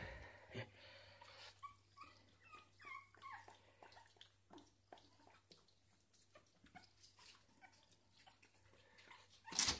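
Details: Puppy eating fresh cream indoors, letting out a few soft, high squeaky whimpers in a short cluster early on, amid steady wet licking and smacking clicks, with a low constant hum underneath and a sharp rustle at the end.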